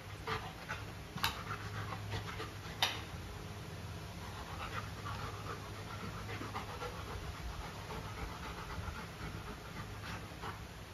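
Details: Luna, a female Golden Retriever, panting steadily while trying her new carabao horn chew toy; soft rhythmic breathy bursts with a few sharp clicks near the start over a constant low hum.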